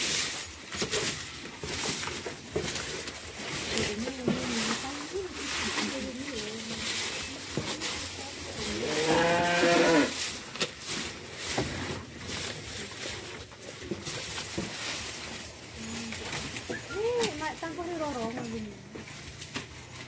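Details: Cattle on a farm holding Balinese cows and buffaloes, being herded and fed; one drawn-out moo with arching harmonics rises and falls near the middle, with people talking in Indonesian throughout and brief shorter lowing sounds.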